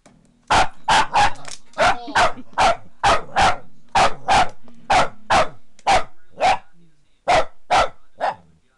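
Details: Maggie, a pet Boston Terrier who hates the vacuum and the foot massager, barks at the massager: a fast run of about twenty sharp, loud barks in uneven bursts over nine seconds, with a low motor hum underneath.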